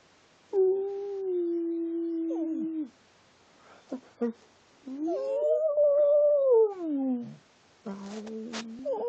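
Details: A pet dog makes speech-like vocal sounds indoors: a long, steady, tonal whine held for about two seconds, then two short yips. A rising-and-falling yodeling howl follows, and a wavering tonal call ends the clip.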